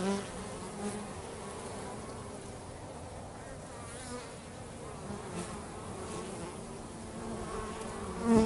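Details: Bees at home going about their work, a continuous low droning buzz of many wings throughout, steady in level with slight swells.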